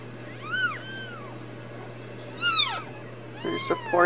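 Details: Brand new Ragdoll kittens, four newborns raised indoors at a central Kansas home cattery, give clear high arching mews rising and falling in pitch, three distinct cries, with a person talking near the end over a low hum.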